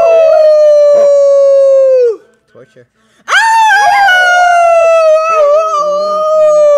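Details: Rex, a pet dog, howls along with its owner, who is teaching him to howl. Long, steady tones slide gently downward and end in a falling drop, then a short pause before another drawn-out howl overlapping a second voice.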